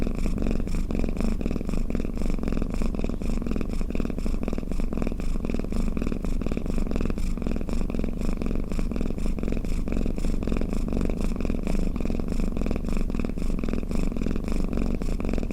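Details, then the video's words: Snoring of a pet cat, an unbroken low vibrating purr-like rumble held evenly for the full length, rhythmic breathing swells faintly marked. "เสียงแมวคราง เสียงกรนของแมว | snoring cat"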